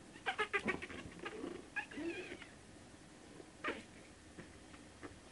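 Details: A quick run of thin, high squeals from month-old Shih Tzu puppies, then a wavering whine and one more isolated squeak before the sound fades to quiet room noise.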